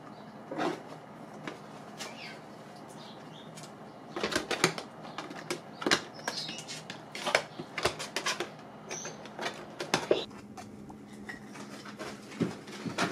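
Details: Pet guinea pigs chewing dried apple pieces: dense bursts of crisp, dry crunching clicks, sparse at first, then rapid and steady through the second half, over a soft room hum.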